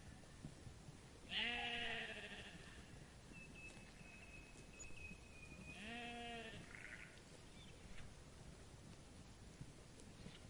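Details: Two wavering bleats, about four seconds apart, from sheep grazing in a meadow, distant against a soft, steady hiss.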